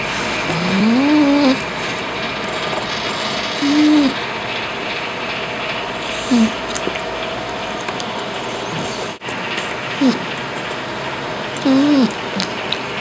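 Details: Pudge the cat snoring while awake: short tonal, nasal grunts that rise and fall in pitch, five spread irregularly across thirteen seconds, over a steady rumbling background hiss.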